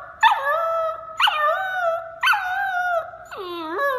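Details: Puppy howling: three short rising yelps, each stretching into a steady, level howl held nearly a second, then a fourth call dipping low and rising again, evenly spaced about one second apart.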